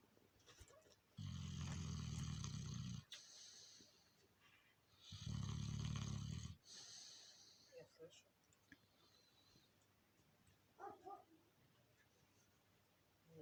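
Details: Mother Alabai, a female called 'princess', snoring while asleep indoors: two long, low, rasping snores, each about two seconds long and roughly four seconds apart, followed by quieter shuffling sounds.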